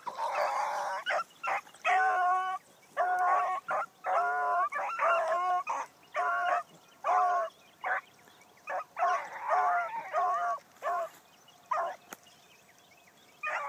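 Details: Bee, a new Blackcreek female hound, running for the first time one morning, voices a steady run of loud, honking barks in bursts about a second apart, some drawn out, with brief pauses between volleys.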